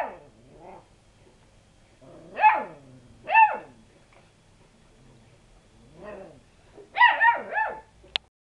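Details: Lurcher cross pups growing bold toward a calm cat, giving scattered high yaps and short barks about a second apart, with quiet gaps and a final sharp click.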